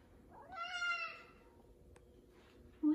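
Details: A male F2 Savannah cat gives one long, harmonic-rich meow that swells then trails off, talking to its owner, who suspects he is asking for chicken; a woman's voice starts as it ends.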